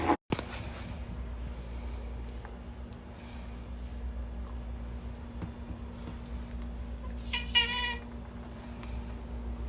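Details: Pet cat that cannot make a normal meow, greeting its owner at home with an odd voice: a single brief, strained, nasal meow near the end, amid a steady indoor hum and faint clicks.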